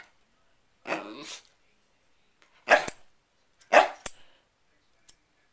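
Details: Pet dog Sherlock goes crazy at a hair clip opening and closing: a drawn-out rough, growly bark followed by two short loud barks about a second apart, then a single click.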